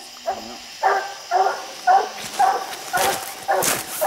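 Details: Hunting dogs barking while treeing raccoons up a steep, slick hillside, with six raccoons counted; regular harmonic barks about every half second, with faint crunching and rustling between them.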